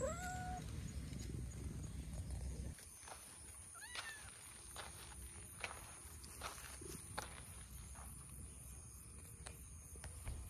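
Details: Stray milk-tea coloured cat, woken from a nap, coming over while chattering to be petted outdoors; a few short meows open the clip, then a rising chirp-like meow, over a low outdoor rumble.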